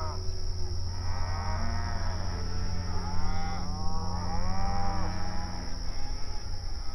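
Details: Open range cattle on outdoor pasture communicating with each other, a run of overlapping arched moos from more than one animal through the middle seconds, with steady low background hum.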